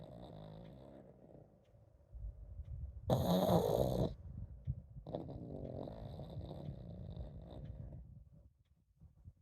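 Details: Pug named Komame keeps snoring, leaving it uncertain whether she is truly sleeping; steady low, throaty snore pulses with a loud brighter burst near the middle, then softer rumbling fading toward the end.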